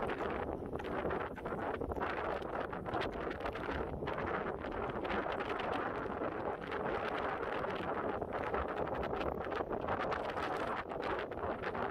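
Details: Steady rushing wind buffets the microphone throughout, a dense roar with no animal calls standing out.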